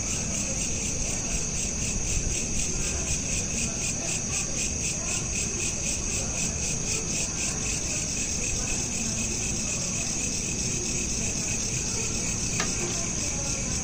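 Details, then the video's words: Nighttime cricket chorus recorded by smartphone: fast, regular high-pitched pulsed chirping continues without pause, layered over low steady background noise, with one brief click near the end. "Night Lamp Ambience with Crickets"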